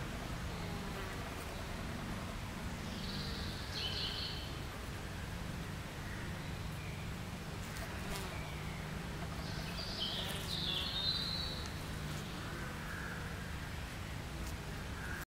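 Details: Honey bees carrying pollen to their hive in the UK make a steady, low droning hum, thick with overlapping buzzing wingbeats.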